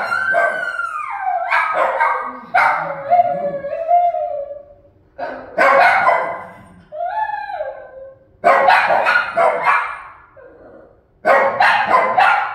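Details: Shih Tzu. Several Shih Tzus raise a howling chorus, each howl a long, wavering tone that falls away at the end. Sharp yips and barks break in between the howls, which come in bursts every few seconds.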